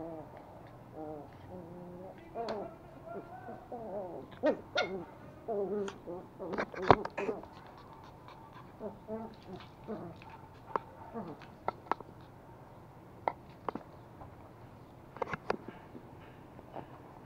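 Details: Two toy Pomeranian puppies, male Pomo and female Pomy, play-fighting and biting in Kathmandu, Nepal, on 9 September 2017: wavering, harmonic growling whines over the first half, then scattered clicks and taps with a person scolding.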